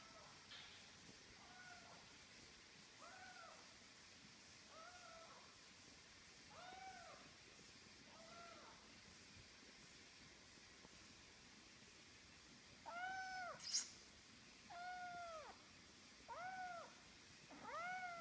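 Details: Smoothie, a female kitten in her first weeks in a new house, filmed July/August 2014 on an older iPhone, gives repeated short rising-falling meows, quiet at first then louder, about one every one to two seconds, over a faint hiss.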